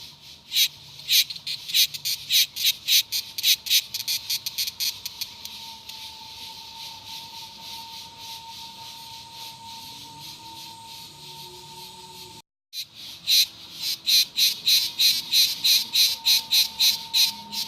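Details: Cicada song as a rapid train of rasping pulses, roughly two per second. The pulses fade to a low background hiss midway, then after a brief cut they return strongly. A thin steady tone runs throughout.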